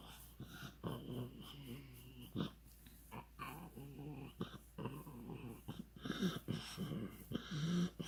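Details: Pug named Ronja producing funny noises: a string of low, throaty grumbles and whiny moans, some wheezy, coming in quick uneven bursts, growing louder toward the end.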